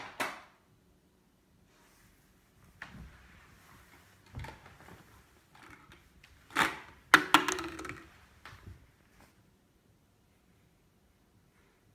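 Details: Scattered thumps, knocks and clicks in a quiet small room, separated by long silences, with no animal voice.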